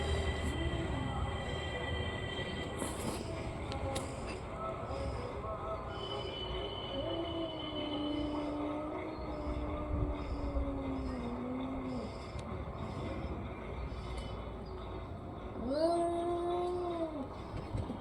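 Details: Orange and white cat giving long, drawn-out harmonic meows that hold steady then dip, with a short arched meow near the end, over a constant low rumble and faint background voices.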